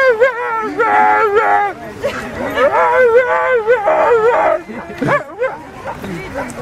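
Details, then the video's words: Husky singing: a continuous run of wavering, yodelling howls and whines that rise and fall in pitch, loud and close, ending in shorter broken yelps. "Funny husky - sing songs"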